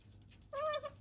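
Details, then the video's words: A female pet otter vocalizing while eating: after a brief silence, one clear tonal squeak lasting about half a second, held level then easing slightly downward, against a quiet background. "やはり何かを喋ってるとしか思えない食事中のカワウソ An otter eating, which I can only assume is saying something."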